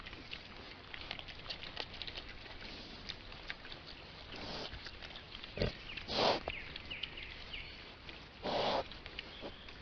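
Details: Wild boar with piglets in daytime, recorded by a trail camera in Estonia, grunt and squeal in short bursts, with rustling and background noise between the calls.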